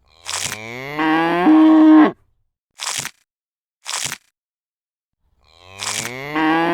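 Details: Cow lowing with a deep, drawn-out moo of about two seconds that swells in loudness, then two short crunching noises, and a second rising moo at the end.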